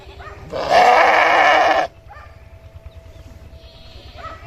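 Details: Sheep giving a single loud, harmonic-rich bleat lasting just over a second, steady and slightly wavering, followed by quiet background with faint lower sounds.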